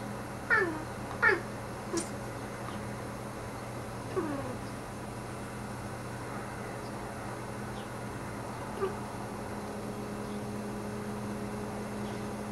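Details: A house cat named Salomon vocalizing at birds beyond the window: two quick high chirping meows in a row, then sparser softer falling calls at irregular intervals, with a constant low electrical hum beneath.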